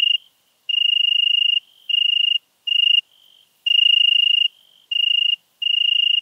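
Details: European tree cricket singing in Venice, Italy, on 2 September 2021: clear, pure, high trills, each lasting about half a second to a second, separated by short silent gaps, with faint overtones above.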